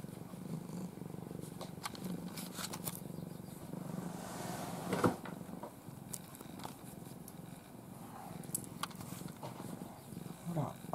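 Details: Ai, a domestic cat from a formerly stray family, dozing in her owner's arms in a face-covering sleep pose: a steady low rumbling purr throughout, with soft rustles and a few brief clicks.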